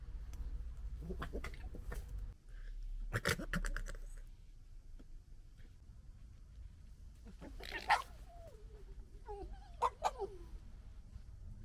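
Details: Red foxes from a local urban family in the UK squabbling: harsh clattering bursts near two and three seconds, then a high wavering squeal sliding downward around eight to ten seconds, over steady low rumble.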